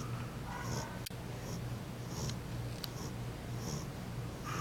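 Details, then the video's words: A female French Bulldog, fallen asleep, snores with low, rumbling breaths and soft nasal snuffles in a quiet room. "snoring french bulldog"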